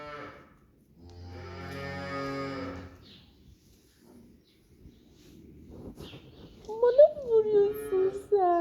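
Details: A pet calf in a Turkish village that stays close to its keeper gives one drawn-out, rich, nasal moo lasting about two seconds; afterward a woman speaks to it and soft music plays.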